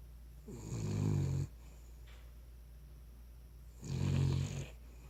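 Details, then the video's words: Cavalier King Charles Spaniel snoring while asleep: two rough, rattling snores, each about a second long, separated by roughly two and a half seconds of quiet, with a steady low hum underneath. "Cavalier King Charles Spaniel snoring."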